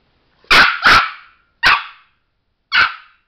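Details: Pet Chihuahua Sparky, watching a light source and red spot indoors, lets out a fast double bark, then two more single high barks spaced about a second apart, clean against silence.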